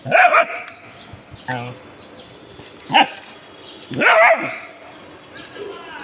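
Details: Dogs reacting to something found bark in a few loud bursts at the start, near 3 seconds and near 4 seconds, with a human voice heard briefly between them.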